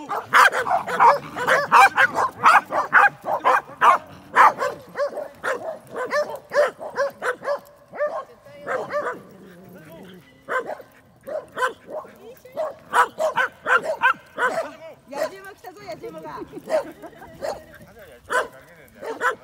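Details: Four Pembroke Welsh Corgis, two sisters and two brothers, at play in a dog run give dense bursts of high excited barks and yips, pausing briefly midway, as people chatter in the background.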